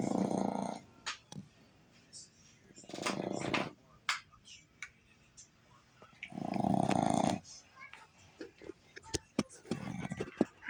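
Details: A female Boston Terrier snores with her eyes wide open, giving deep, rattling, harsh breaths about a second long every few seconds, while a person talks between snores.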